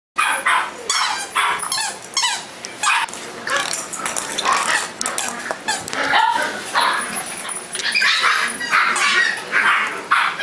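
Shiba Inu puppies yip and bark in quick, overlapping bursts, several voices at once.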